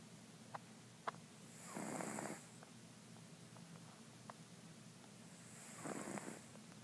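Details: Mr. Jigilo, a pet cat nicknamed Jiggy, snores while asleep indoors: two soft, breathy, rasping snores, each lasting under a second and about four seconds apart, with faint clicks between them in an otherwise quiet room.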